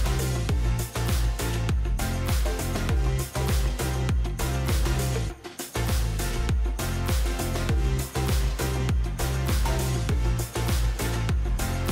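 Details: Rhythmic, energetic music with steady beats and a strong bass fills the whole stretch, with no animal voice audible.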